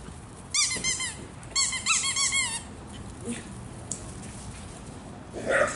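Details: A rescued foster dog, an Italian greyhound once a terrified pup from a hoarding situation, playing ball indoors with another dog; two quick bursts of high, squeaky yelping barks, about five each, then quieter thumps and a brief final yelp.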